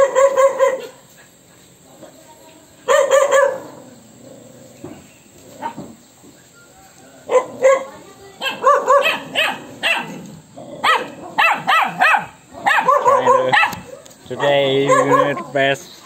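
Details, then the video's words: Pet dog barking and whining, angered by an annoying sound: short loud bursts of high tonal barks and yelps come in clusters through the clip, separated by quieter gaps with faint background noise. "Annoying sound dog hate"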